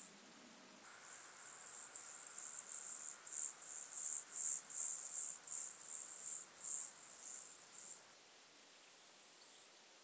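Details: Pygmy toothed grasshopper, Stenobothrus crassipes, recorded at Fischawiesen, Austria, on 5 August 2022 with an ultrasound detector: a very high, hissing buzz that swells and fades in rapid pulsing bursts for about ten seconds.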